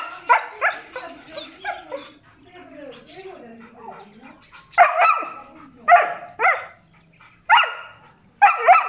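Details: A German Shepherd refusing to leave its owner. Murmured voices and soft whimpers come first, then loud, clipped barks, sometimes paired, spaced roughly a second apart.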